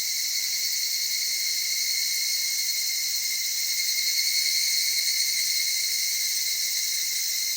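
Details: A continuous bright, high insect chorus of evening cicadas in the Okutama cedar forest in Tokyo's mountainous outback. The tone is even and sustained, with slight swells in loudness and no break for the whole stretch.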